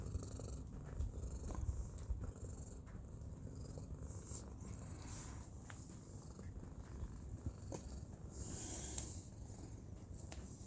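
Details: Black cat purring on a cushion outdoors, a steady low rumbling purr running throughout with a soft pulsing rhythm, over faint high background hiss.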